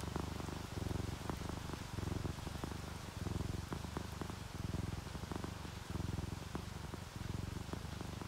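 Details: Happy, relaxed orange tabby and calico cats asleep during rain give a soft continuous purr, a low buzzing throb repeating in inhale-exhale cycles under a light hiss of falling rain.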